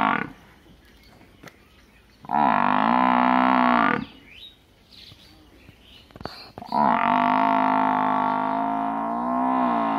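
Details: Village buffalo giving two long, low, drawn-out moans, each held for about two to three seconds with a steady buzzing tone, separated by a quiet gap with faint background noise.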